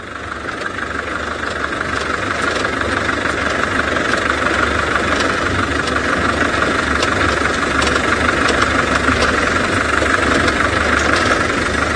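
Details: Early-morning safari drive at a game reserve in South Africa, with only the steady idling hum and knocking of a vehicle engine and no clear animal calls.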